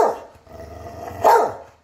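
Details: A talking Catahoula ends one bark and then lets out another, louder harmonic bark with a falling tail, above a low steady hum.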